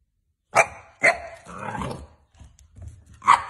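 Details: Boxer puppies looking for a new home give short, sharp barks, two in quick succession about half a second apart, then a third after a pause, with low rustling and handling noise in between.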